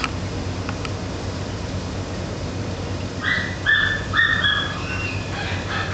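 A Basenji gives a run of high, whistly, yodel-like yelps over a steady low hum.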